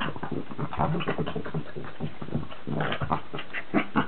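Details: Two pet dogs, Charlie the Cavalier King Charles Spaniel and Billy the Cairn Terrier, play-fighting: dense overlapping low growls and rough snarls with short sharp yaps near the end, continuous throughout.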